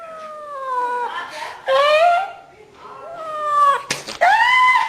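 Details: A house cat gives a string of drawn meows, the first falling gently and the others louder with rising-then-falling wails, ending with a sudden sharp bump and a final strained yowl.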